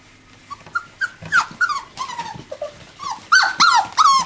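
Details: Miniature labradoodle puppies, five weeks old, at play with their mother: a busy run of short high yips and falling whines, several overlapping, with soft scuffling between calls.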